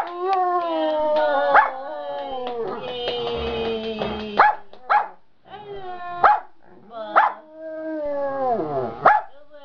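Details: Giant panda in a good mood, singing leisurely in the afternoon: long harmonic wailing tones that slide slowly downward, broken by sharp snapping bursts, with louder cries breaking out again after brief pauses.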